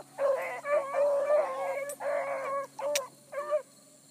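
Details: Bluetick Coonhound pack hot on a big running rabbit at dawn in July: long drawn-out howling bawls in several overlapping voices, with brief gaps between drawn notes and a short click.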